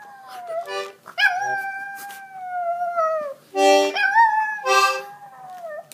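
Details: Macy the dog howls in two long, tonal, gently falling notes, the first about two seconds long, with short loud buzzy chord-like bursts between and over the howls.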